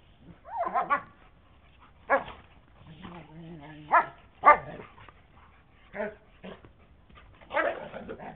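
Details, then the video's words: A dog named in the context of a playdate between two canine best friends barks loudly, recorded May 5 2010; several sharp harmonic barks and yips at irregular intervals, with a short whine-like tonal stretch near the middle. "OLIVE'S LOUD BARK"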